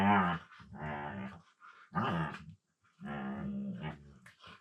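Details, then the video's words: Two Siberian Huskies playing together indoors on the floor, mouthing and wrestling, one talking in a low-pitched voice: drawn-out, moaning, harmonic grumbles with growly undertones, four rising-and-falling phrases over a few seconds in a small room. "Funny Husky Sounds"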